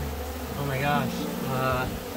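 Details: Honey bees from a two-year-old hive of about 50,000, removed from a horse stable in California for being aggressive and territorial; a dense buzzing hum with two rising swells, a person speaking over it.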